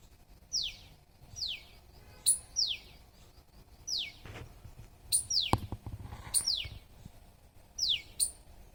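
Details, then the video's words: Squirrel giving repeated chirps: quick, high notes sliding steeply downward, delivered at roughly one-second intervals, around nine in all, with a few dull thumps and rustling noises partway through. "SQUIRREL'S CHIRPING SOUND."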